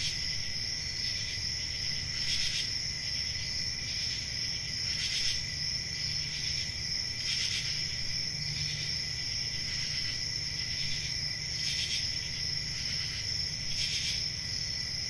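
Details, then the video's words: Constant high shrill chorus of crickets on a calm rural summer night, punctuated by brighter pulsed bursts every couple of seconds, with a quiet low rumble underneath. "Relaxing Cricket Sounds For Sleeping | Ambient Summer Night Sounds"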